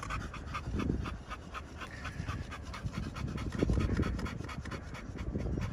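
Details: Pocket American Bully dogs from a Romanian kennel panting, rapid breathy huffs repeated in quick irregular succession with low thumping handling noise underneath.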